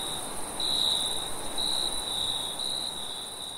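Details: Late at night, crickets keep up a continuous high trill in brief pulses, a second faint high band above, with gentle low background hiss.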